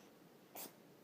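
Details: An 8-week-old Boston Terrier puppy gives a single quick, breathy sneeze, a sharp burst of air, during tug play.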